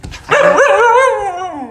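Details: A pet dog, from a compilation of talking dogs, gives a long drawn-out vocal howl that wavers and slides downward while its owner talks with it, indoors.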